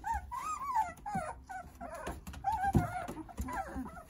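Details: Jindo puppies, nine littermates cared for by their mother Sarang, whine in drawn-out, slightly wavering cries, several overlapping, with a sharp knock near the middle and low rustling underneath.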